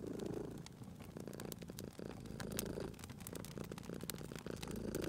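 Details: Sleeping cat purring at a crackling fireplace in a relaxed spring setting. A soft, low rumble cycles through breathing phases roughly every two seconds, mixed with quick, bright snaps and pops of burning wood.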